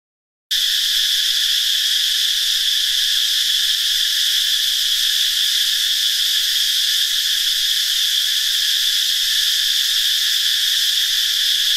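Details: Many cicadas singing in a Thai forest during the dry season in northeastern Thailand, shortly after a mass hatching: a loud, unbroken high-pitched electric whine with a steady hiss that starts abruptly and never pauses.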